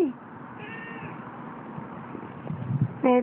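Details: Siamese seal point cat giving a short, clear harmonic meow near the end, with fainter mewing earlier; a person calls "kitty, kitty" beforehand over a low household hum.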